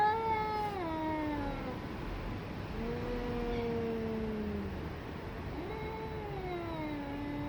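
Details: Fighting domestic cats trade drawn-out yowls: a descending harmonic wail, then a long level moan sliding lower, then another falling cry, continuous and tense, with faint background hiss.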